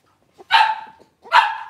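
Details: Blenheim Cavalier King Charles Spaniel puppy from a litter of five born at New Year's, in the Red Barn Cavaliers puppy pen after moving to the big pen: two short, sharp, fairly high barks about three-quarters of a second apart.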